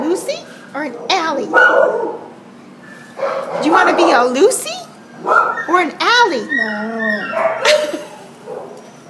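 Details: Recorded December 27, 2014 at the pound, a Border Collie Husky mix wails in quick, rising-and-falling yodelled cries. They break into short barking yips, then end on a sustained, sagging whine near the seventh second.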